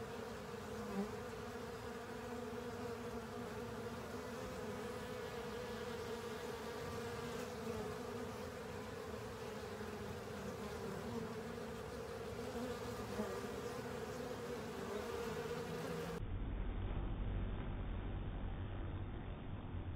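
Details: Many honey bees and fellow insects cleaning a honey filter produce a thick, constant buzzing drone with a clear mid-pitched tone. After about sixteen seconds it gives way to a duller, muffled low rumble.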